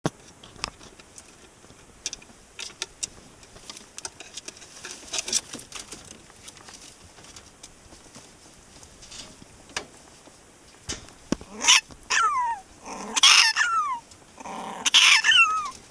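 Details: Pet prairie dog named Sumomo calling repeatedly while stroked on the neck after its owner comes home; after a stretch of tapping and rustling, bursts of sharp high chirps with falling whistled tails cluster in the last five seconds.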